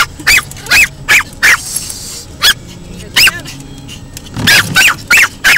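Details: Ten-month-old female Pomeranian barking frantically at windshield wipers that frighten her, inside a car; sharp, high yapping barks in irregular bursts, about ten in under six seconds, over low engine rumble.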